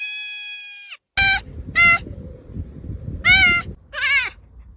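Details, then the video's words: Goat screaming in a compilation of human-like goat screams: a long, loud, strained harmonic cry, then three shorter hoarse screams with wavering pitch, over background rumble and handling noise. "Is that a Human or a Goat? Hilarious Screams Compilation!"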